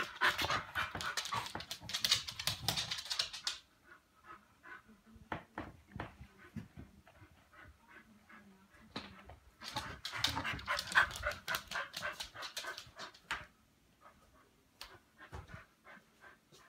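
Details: Chow Chow dog during a late-night bout of wild play, panting in rapid, breathy bursts, heavy at the start and again midway, with quieter, sparser huffs and small whimpers between, in a small indoor room.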